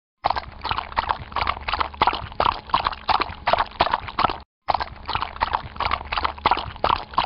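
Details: Horse walking through water: a steady run of splashy, sloshing hoof steps, roughly two or three per second, with one brief silent break just after four seconds.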